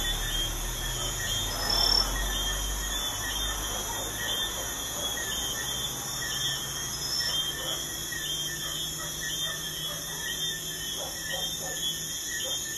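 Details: Nighttime crickets by a busy highway give a constant high, finely pulsed trill in layered bands, with low traffic hum and occasional vehicle noise beneath.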